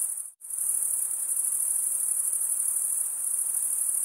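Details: Crickets chirping by stridulation, wing rubbed against wing. After a brief cut of near-silence at the start, a continuous high-pitched trill resumes and holds evenly, finely pulsed, over soft background hiss.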